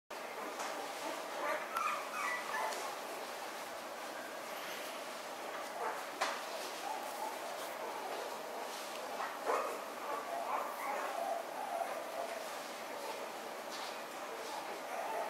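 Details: Two Toy Poodle puppy sisters born 9 February make faint, squeaky whimpers and brief yips, scattered irregularly, over a constant hiss and a few soft knocks.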